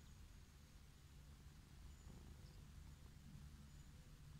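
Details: Orange tabby cat living wild, stretched out on a lawn and stroked, purring happily: a continuous low throbbing rumble, swelling slightly midway, set against soft rustling and outdoor background noise.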